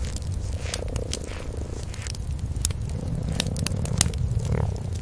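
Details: Purring from a cream-colored kitten and mother cat resting before a warm hearth at night. A constant low vibrating drone sits under dense crackling from the fire, with a slightly louder rustle toward the end.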